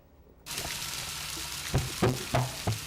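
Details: Gray whale conga call, low hollow drum-like knocks, over the crackle of snapping shrimp; gray whales migrate each fall from cold seas near Alaska to warmer waters off Mexico.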